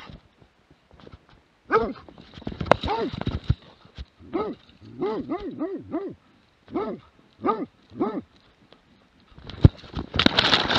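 A Plott hound gives a run of deep, arching barks, some paired in quick succession.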